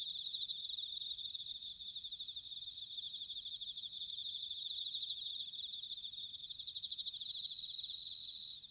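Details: Autumn night chorus of bell crickets in Sanuki, Chiba Prefecture, Japan, captured on ZOOM H6 and TASCAM DR-05X recorders; a continuous shimmering, high ringing trill of many overlapping pulses, near-constant in level, over soft low background noise.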